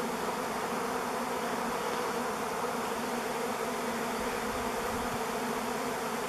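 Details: Honey bee swarm of thousands hovering at a driveway, 05-11-21: an even, roaring buzz of many wings, steady in pitch and loudness from start to finish, with no other clear sounds.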